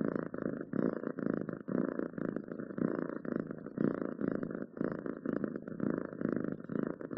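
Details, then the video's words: Pet cat purring loudly nearby, a deep vibrating rumble pulsing in regular breath cycles about once per second, each exhale and inhale marked by a short pause. "Cats Purring"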